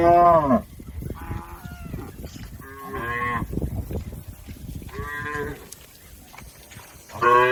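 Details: Tame cattle from a village herd grazing on green pasture, several short moos, some falling in pitch, others flat, repeated every second or two against a low rustling background.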